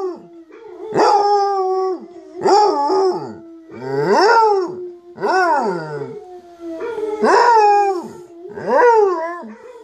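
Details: Howling by Munson, a basset hound listening to videos of basset hounds howling: six drawn-out, sliding howls roughly every one and a half seconds, some ending in a wobbling fall, over a constant low hum.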